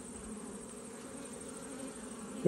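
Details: Buzzing honey bees on a frame holding pollen during an autumn hive check: an even, low hum with a faint rumble beneath, ending in a brief knock as the frame is moved.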